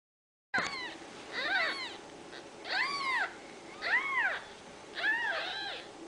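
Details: Ragdoll kittens raised in a home cattery in central Kansas, with no cages used, give a run of high arched meows, roughly one per second, each rising then falling, some doubled, over a quiet room background.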